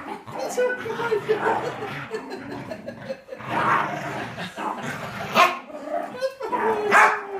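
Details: A jealous female Miniature Schnauzer gives sharp, high yips and whiny barks in irregular bursts at a visiting beagle-boxer mix, with people talking.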